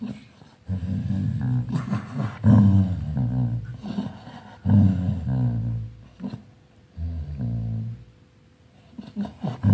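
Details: Sleeping dog growls as it dreams, deep rumbling growls rising and falling in uneven bursts, some pauses of near quiet, faint whimper-like tones mixed in, recorded indoors.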